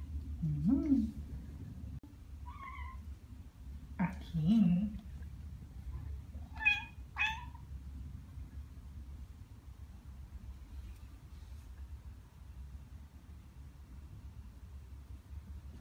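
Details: Ragdoll cats Ao and Aki, aged one year and nine months, chatter indoors after hearing birdsong. Short chirpy, bird-like calls come in scattered bursts over low steady room hum. A few soft low murmurs mix in.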